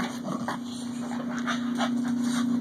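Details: Dog playing wildly during a snow storm, panting in quick breathy bursts several times a second over a steady low mechanical hum.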